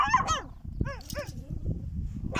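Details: Wild dog in the desert of Chad giving high, arching yelps and whines rich in overtones: a quick pair at the start, then three more rising-and-falling cries mid-clip, over a steady low rumble.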